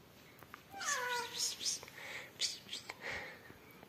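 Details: Rescued yellow mother cat Amarilla and her newborn kittens; one drawn, falling meow early on, followed by rustling, clicks and faint voice-like sounds.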